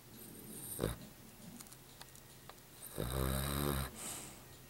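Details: A black Cavalier King Charles Spaniel snores with a low, rattling rumble on each breath.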